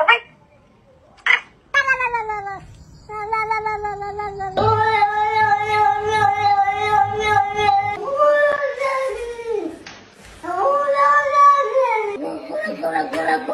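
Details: Domestic cats meowing in a run of drawn-out, harmonic-rich cries, some long and steady, others wavering and sliding downward, with music and human speech in the background.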